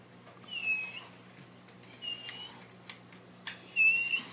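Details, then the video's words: Dog in a house, told off for eating a pizza box, answering with high whistle-like whimpers: a long wavering whine, a shorter quieter one, then a sharp rising squeal at the end, with scattered clicks. "Cute dogs making sounds"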